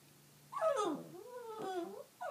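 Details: Pet dog named Fritzy whimpering indoors: a drawn-out, wavering moan that slides down, then rises and falls again across two connected phrases lasting about a second and a half, with a brief voice starting at the very end.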